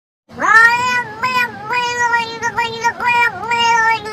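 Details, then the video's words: Domestic cat making drawn-out, talking-like vocalizations: one long, steady, harmonic-rich yowl that wavers and bends in pitch several times over four seconds, dipping and rising again near the end, with no other clear sounds. "CATS TALKING..."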